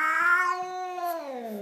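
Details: Chocolate Persian cat in an angry mood, one loud drawn-out yowl that holds steady then slowly slides downward in pitch over under two seconds.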